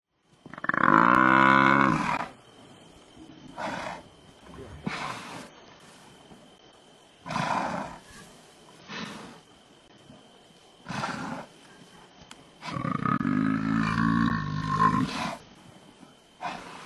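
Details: Male lions of the Timbavati pride, the Black Dam males, guard a buffalo kill and scare off hyenas trying to steal it. They give two long, deep, harsh roaring growls about twelve seconds apart, with shorter rasping grunts between them.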